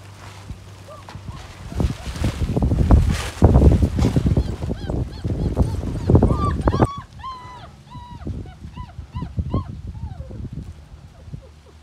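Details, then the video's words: Female Doberman puppy playing with Togo: heavy thumps and scuffling of play at first, then a run of short, high, arching whimpers and squeals, several per second. "Togo is playing with a Doberman puppy He loves her"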